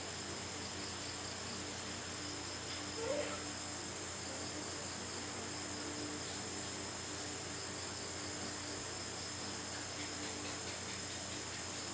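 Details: Only a steady faint hiss and low hum are heard, with one brief soft rustle, and no animal calls.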